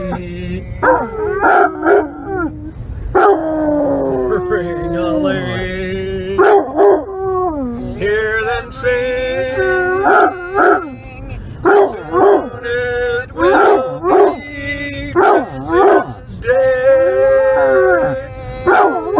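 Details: Basset hound howling along with the Christmas song Silver Bells, with a long run of wobbling, sliding howls broken by short gaps, singing and music mixed in throughout.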